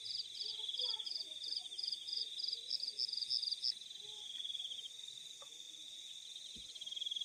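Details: Crickets calling in the fields at night: a steady high shrill trill runs throughout, while a second caller gives short pulsed chirps in a quick regular series during the first four seconds, then fades.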